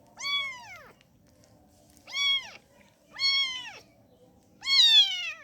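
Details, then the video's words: A kitten begging to nurse calls four loud, bright meows, each rising then falling, about one per second in a quiet room. "anak kucing minta nyusu"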